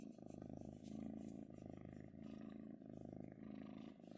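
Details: Female kitten purring while being petted: a low, rumbling, continuous purr that swells and fades in breathing cycles about every half second to second.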